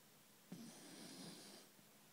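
A sleeping Basenji gives a single drawn-out snore, opening with a sharp snort and carrying on as a breathy, low rumbling rasp. The room is otherwise quiet.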